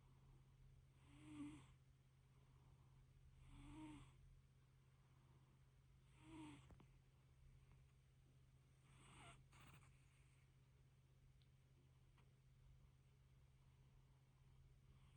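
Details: Little fluffy cat asleep, purring and snoring with three clear rasping breaths about two and a half seconds apart, then softer, fading breaths and a brief click, all over a steady low drone.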